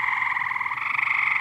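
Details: Loud frog chorus from a backyard swimming pool invaded by many frogs: steady, rapidly pulsing buzzy trill sustained throughout without breaks.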